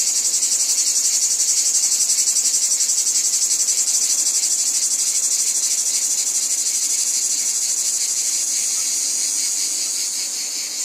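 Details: Continuous shrill buzzing of cicadas in a wheat field, pulsing quickly and evenly at first, then smoothing into a steadier drone that fades slightly near the end.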